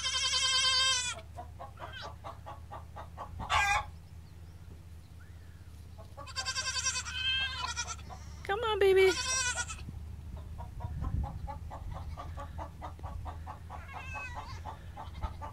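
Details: Nigerian Dwarf goat kids on their first day bleat in loud, bright bursts, one opening cry, then a shorter call and two longer quavering bleats, amid a woman's coaxing words, soft music and a low hum.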